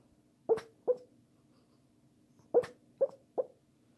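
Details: Sleeping Pekingese making sleep-talk noises: two quick muffled yips, a pause of about one and a half seconds, then three more short yelping whimpers, with a low background hum.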